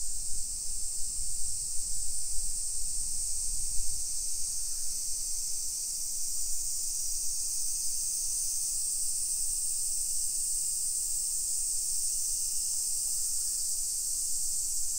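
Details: A summer cicada chorus on a walk through suburban Nisshin, about 20 km from downtown Nagoya, Japan, early afternoon, 28 July 2021. A constant shrill drone holds steady throughout, above soft footsteps that grow quieter midway.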